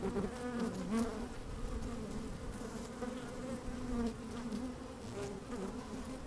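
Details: A steady drone from honey bees working in an opened hive on a fine day, recorded from within: layered low buzzing bands with short pitch swoops from individual bees and a dense crackle of movement.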